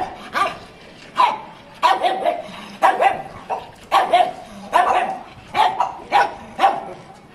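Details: Pug dog barking in short, sharp bursts, roughly ten barks over seven seconds at an uneven but steady pace, with no other sounds competing.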